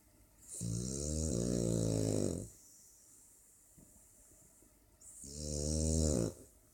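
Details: French Bulldog snoring: two long, droning, rattly snores of about two seconds each with a hissing edge, separated by a quiet pause of nearly three seconds.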